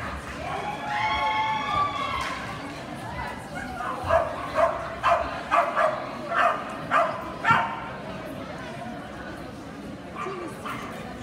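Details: Kerry blue terrier at a specialty dog show, 29 April 2018. Indoor hall chatter and voices at first, then a run of about eight sharp, ringing barks, spaced roughly half a second apart, over steady crowd murmur.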